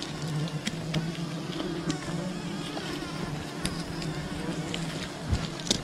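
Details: Wild bee colony disturbed during honey hunting: a steady, low droning hum of many bees with a layered, buzzing tone throughout, broken by scattered sharp clicks and taps.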